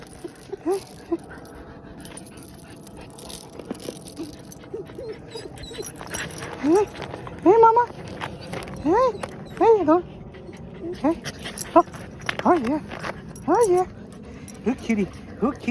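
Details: Puppies on a late-night stroll whimper and whine in high, arched, wavering tones, a string of short rising-and-falling cries that grows busier toward the middle, with a person talking softly to them throughout.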